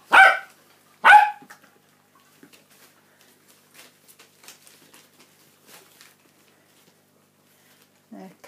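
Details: Cockapoo, mother of a 49-day-old puppy litter, at feeding time: two sharp, loud barks one second apart, then near silence with faint clicks and rustles, and a human voice starting at the end.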